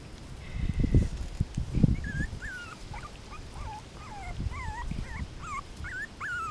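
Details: A litter of 5-week-old Min Pin puppies exploring; after two dull thumps, a steady series of thin, wavering whimpers rises and falls, each short cry following the last about every half second.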